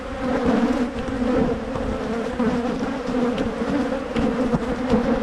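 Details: Hive of honey bees in Michigan, opened for making splits to head off swarming; an even, thick drone of many buzzing bees with a pulsing low pitch and a brighter overtone above it, no other sounds.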